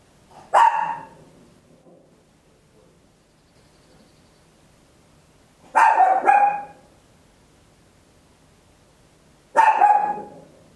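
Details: Papillon, a tiny dog, barking very loud at home, captured in stereo on an Olympus LS-11: three sharp, high barks, one single, one doubled, one single, spaced several seconds apart with quiet between.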